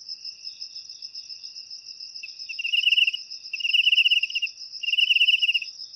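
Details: Cricket song put to use for chasing away rats from homes; three short trilled bursts, each under a second, arrive about once a second after a quiet stretch, above a continuous high-pitched whine.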